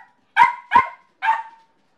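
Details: Yorkshire terrier named Motley, left alone at home with separation anxiety, gives three sharp high barks in quick succession, the last slightly drawn out, then silence.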